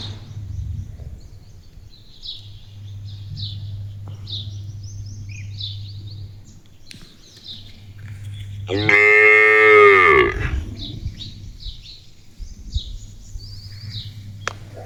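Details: A pet village cow calls out as if talking to its owner: one loud, rich moo of about a second and a half that rises and then falls. Birds chirp in the background over a steady low hum.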